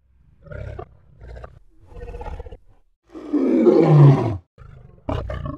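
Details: Lion uttering low grunts that build into a long, loud rumbling roar, followed by a brief harsh burst.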